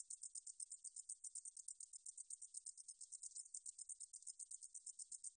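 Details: Recorded in 2020 by Korea's National Institute of Biological Resources, a 등줄어리쌕쌔기 meadow katydid gives a thin, very high buzzing trill. The pulses come quickly and a little unevenly, with a short break just after the middle. The background is quiet.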